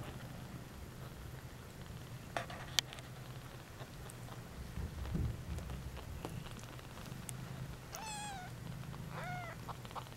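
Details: Brown spotted Bengal kittens, two weeks old, one of a litter of nine in San Diego, California: two high, wavering mews near the end, the first quivering, the second bending downward, over a constant low hum and a few sharp taps.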